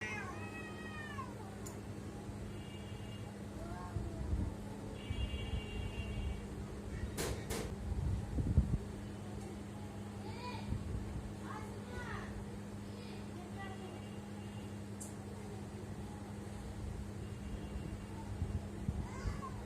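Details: Pet cats making a weird sound: short, arched, rising-then-falling meows and nasal chirps come every few seconds over a steady low electrical hum, with occasional clicks and rustling.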